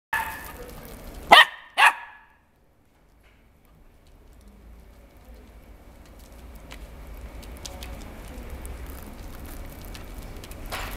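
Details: A male red-and-white Welsh Corgi puppy at a pet shop, born October 9, 2016, gives two sharp, quick barks, followed by quiet indoor hum.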